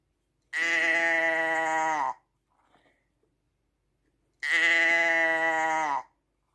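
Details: Two loud, drawn-out sheep bleats about four seconds apart, each steady and buzzy with a slight downward bend at the end, separated by near silence with a few soft rustles.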